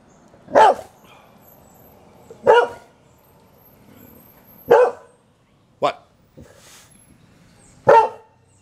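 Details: Liberty, a hungry Boxer dog, throws a tantrum wanting an early dinner: five sharp, short barks spaced about two seconds apart, each a loud burst with quiet gaps between.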